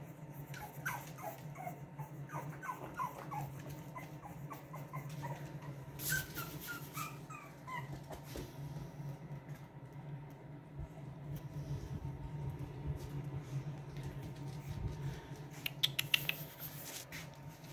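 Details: Playing Boston Terrier puppies, one of a two-pup litter from Lily and Lil Red, give a quick run of short, falling whimpers and yips early on, followed by scratchy rustling bursts and a constant low hum.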